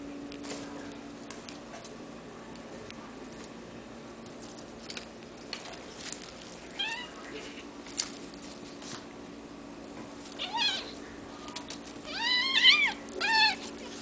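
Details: Sphynx and Bambino kittens from a cattery litter: sparse high mews early on, then a cluster of loud, wavering, rising-and-falling cries near the end, with light tapping and a steady background hum.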